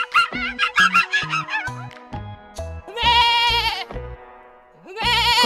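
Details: Goat bleating in two wavering, quavering bursts of about a second each, set against background music with plucked notes throughout.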